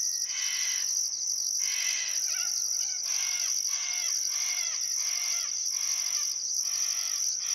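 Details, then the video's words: Crickets chirping at sunset by the Barcoo River in Welford National Park, Outback Queensland, on a still summer afternoon: a steady shrill high trill under pulsed chirps about once a second, with birds calling in repeated downslurred phrases throughout. "Australian Sunset Chirping Crickets"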